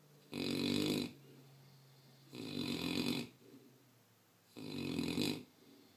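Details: An 11-month-old mastiff puppy, asleep, snores in three loud, rasping breaths spaced about two seconds apart. Each is broad and noisy with a deep rumbling core, separated by near-silent pauses.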